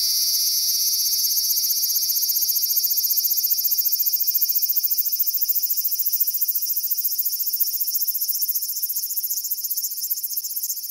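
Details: Large brown cicada recorded on 14 July 2011, a Thursday, giving a dense, continuous sizzling buzz high in pitch that holds steady for the whole stretch, with a fine rapid pulsing throughout and no other clear sounds.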